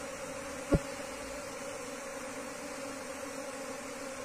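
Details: Wild Asian honey bees being moved from the wild into a cultivation hive box; a steady low droning hum with a clear overtone, interrupted by one sharp knock or click near the start.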